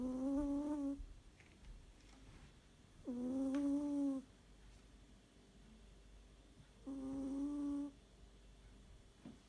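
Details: A sleeping cat snores: three steady, humming tones with clear harmonics, each lasting about a second and recurring roughly every four seconds, separated by quiet breathing and faint room noise.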